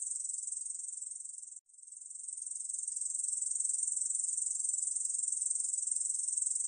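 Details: Korean bush cricket in a 2020 National Institute of Biological Resources recording: a high, rasping pulsed buzz breaks off abruptly for a split second near the start, then resumes softly and builds back to full strength.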